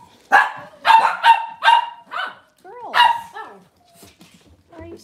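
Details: Cavalier King Charles Spaniel indoors on a cloudy Monday morning with puppies nearby. A burst of four ringing barks, then a pause and another bark, followed by low talk and faint whines.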